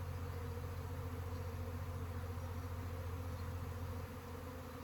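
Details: Honey bee swarm: a steady, dense droning hum with strong low humming tones and an even tone throughout, no breaks.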